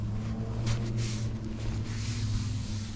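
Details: A steady low engine or motor hum with gusts of wind noise over the microphone.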